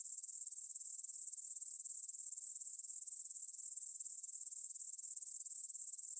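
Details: ["Meadow grasshoppers stridulating at 9pm on 6 September 2020 near Bryansk's Svensky monastery, Russia, captured on a Tascam DR-44WL stereo recorder; an unbroken high, sizzling trill with quick regular pulses and nothing else audible."]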